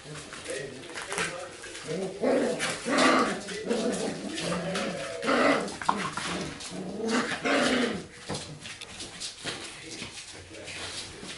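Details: Golden retriever puppies from a litter romping together, yapping in short harmonic bursts and squeaky whines that overlap irregularly, loudest around three and five seconds, with human voices talking in the background.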